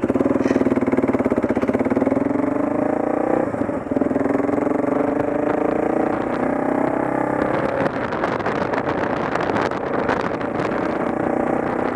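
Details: A steady engine drone slowly rises in pitch, then turns rougher, with no animal calls heard. No frogs or other animals stand out above the motor noise.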